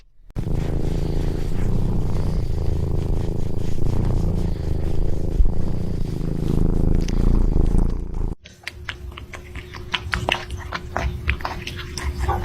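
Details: House cat purring: a deep, continuous rumbling throb that runs steadily for about eight seconds, then cuts off abruptly, leaving quieter clicks and room noise afterward.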